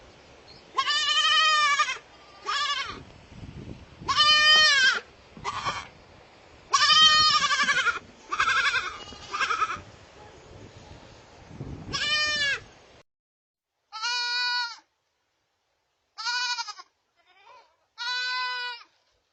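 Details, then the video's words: Baby goats in a rapid series of quavering bleats, many overlapping in the first half with some rustling, then several cleaner separated cries after a brief silence. "BABY GOAT SOUND EFFECT 아기 염소 울음소리 모음 효과음 소리"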